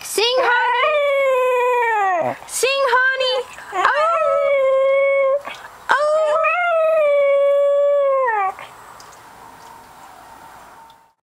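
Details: A Cocker Spaniel, recorded in June 2008, sings on its owner's prompt with sustained, tuneful howls that swoop upward, waver and break off. A person urges it on, and the final seconds fade to quiet room noise.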